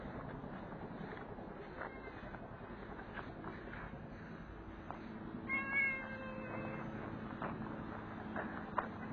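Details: Stray street cat being fed, getting a belly massage after its meal; one short harmonic meow sounds midway, over a steady low rumble and scattered soft clicks.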